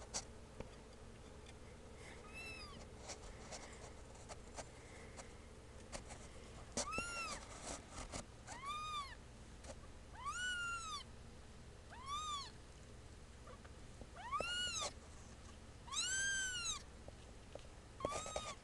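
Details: A chorus of two-week-old kittens mewing: a series of high-pitched, arching cries, sometimes overlapping, growing more frequent and insistent in the second half, with occasional soft clicks.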